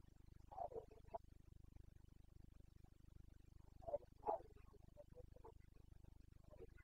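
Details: Carpathian red deer stag roaring during the rut in the Bucovina mountains, Romania, late September 2022; several short, muffled, grunting bellows come in two bursts, with a constant low background hum.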